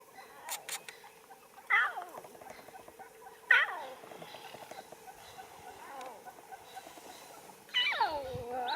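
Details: Lion cubs at play give high, sweet, mewing calls that slide steeply downward, spaced a couple of seconds apart.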